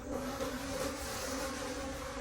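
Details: Continuous even drone of wild bees around an opened forest nest at the season's final honey harvest, the hum unbroken and level in pitch, with a wash of rustling handling noise over it.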